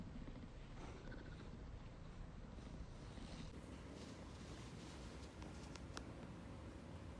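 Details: Ragdoll cat purring as it affectionately nuzzles and rubs against its owner; a steady, low rumbling purr runs throughout with a faint soft click near the six-second mark.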